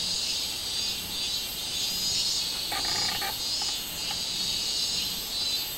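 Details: Robust cicada, 24 July 2016: a steady high-pitched buzzing that rises and falls in loudness every second or so, with a short stacked, harmonic call from another animal near the middle.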